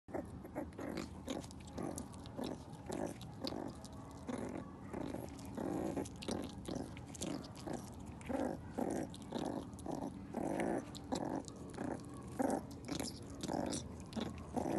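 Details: A meerkat growls in low, rasping bursts while eating a snack, with wet chewing and crunching sounds.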